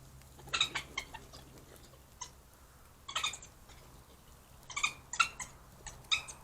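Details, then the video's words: Three badgers play fighting at night near a trail camera in Cambridge, UK, on 4 March 2022 at 9:19 pm; bursts of squealing, harmonic chittering calls come in irregular clusters, with quiet gaps between the bouts of scuffling. "3 Badgers play fight with funny sounds"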